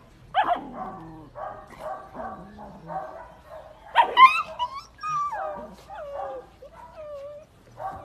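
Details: German Shepherd dogs and puppies, a series of short harmonic barks and yelps, then a loud bark near the middle followed by wavering high whines and squeaky yips.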